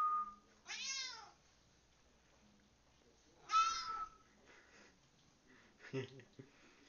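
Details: Pet cat meowing back to whistling: a short whistled note, then a clear falling meow; later a whistle overlaps a second, similar meow, followed by faint rustling and a brief clunk.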